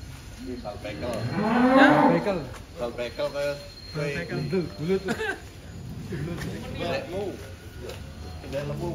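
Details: Giant cattle at a holding in Wonosobo, some weighing up to 1.3 tons, give a loud rising-and-falling moo lasting about a second, followed by quieter lowing, with people talking nearby.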